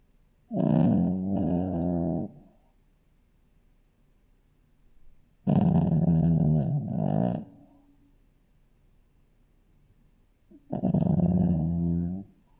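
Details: Sleeping Shih Tzu puppy snoring: three long, rasping low snores about two seconds each, with a deep fluttering rattle, separated by quiet pauses of roughly three seconds.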